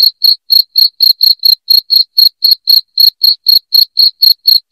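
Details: Piercing cricket chirps, used as a rat-repelling sound, come in quick regular pulses, roughly four a second. Some chirps sound slightly doubled. Nothing else is heard.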